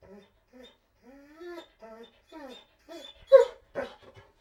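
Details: Begging dog whining: a string of thin, drawn-out whimpers that slide up and down, growing into louder, harsher yelps near the end, heard indoors with no other sounds.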